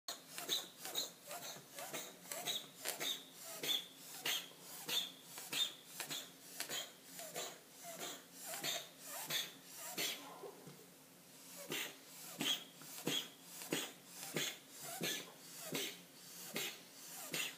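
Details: A Persian cat sneezes wildly in a rapid fit, short sharp bursts coming more than once a second.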